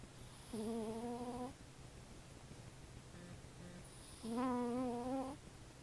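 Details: A female cat with nasal issues snores while asleep. Two wavering, whistled, nasal tones, each about a second long, are separated by faint softer breaths, over a steady low hum.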